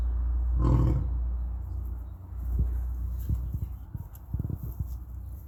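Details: A lion at Topeka Zoo gives a deep, booming roar, then a run of short, low grunts; lion (Panthera leo) roaring.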